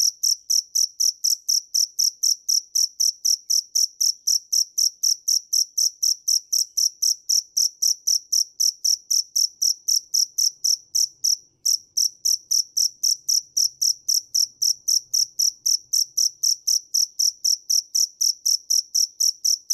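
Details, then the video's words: A cricket keeps up a long, regular run of shrill chirps at roughly four per second. The beat is even throughout, with only a brief stumble near the middle and a quiet background. "Tiếng dế mèn hay nhất 2017 - The crickets - Cricket"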